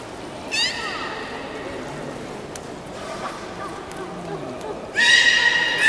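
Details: Beluga at the 13:30 public training session, Port of Nagoya Public Aquarium, 18 July 2016. A short rising squeal opens, then near-quiet murmur with faint knocks, before a loud, rich, buzzy harmonic call bursts in near the end.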